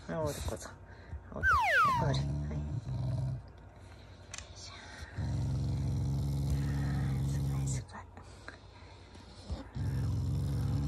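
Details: Pet Shiba Inu growling at home out of affection, not anger: long low buzzy growls lasting two to three seconds, separated by pauses, with an owner's talking and high-pitched whining squeaks early on.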